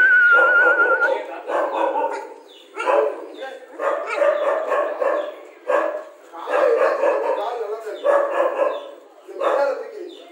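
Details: Rajapalayam dog barking in rhythmic bursts roughly every second, with whiny, drawn-out notes. A thin, wavering high tone sounds at the very start alongside the first barks.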